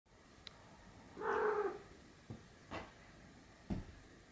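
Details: Abyssinian kitten Mao, 40 days old, from Deuce's first litter, playing with its mother; one short tonal meow lasting about half a second, followed by a few soft thumps and clicks of play in a quiet room.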